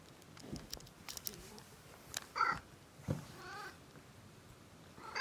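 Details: Pet cat being massaged, letting out contented groans: two brief tonal, nasal vocalisations a second apart, mixed with rustling, handling noises and soft clicks.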